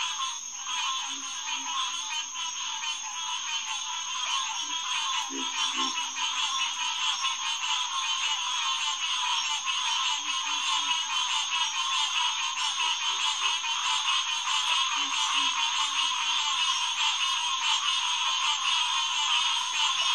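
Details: Green tree frogs (Hyla cinerea) chorusing at the Headquarters Pond, SMNWR, June 2, 2021, around 9:10 pm: a dense, continuous wall of overlapping nasal calls, with scattered low grunts beneath, perhaps the solitary pig frog.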